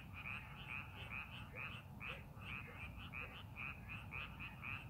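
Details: Several frogs croak from a rice paddy readied for the farming season, quick high-pitched trilled notes following each other steadily with soft low background noise beneath.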